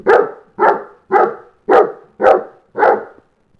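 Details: Six loud, evenly spaced barks roughly every half second from Bolander, a St. Bernard who dislikes the kids going outside to play without him.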